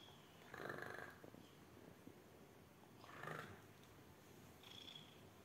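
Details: Abyssinian cat greeting its owner on arrival gives two breathy, rumbling bursts about two and a half seconds apart, then a fainter third burst near the end, in a quiet indoor setting.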